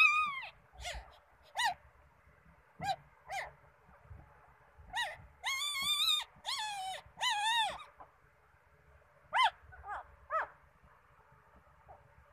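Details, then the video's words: A three-day-old male Shih Tzu puppy, the eldest of a litter of five, cries in thin, high squeals and longer wavering whines. "A 3-day old shih tzu puppy crying"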